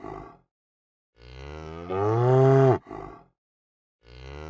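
A cow gives a long, deep moo that swells louder before breaking off, with another starting.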